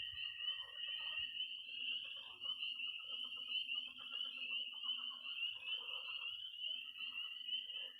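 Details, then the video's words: Peeping tree frogs, trilling toads and croaking pond frogs on an early spring night in Missouri: an intense unbroken high peep chorus, repeated rapid croak series, and faint low knocking sounds. "Relaxing sounds. 20 minutes of toads and frogs, sound only!"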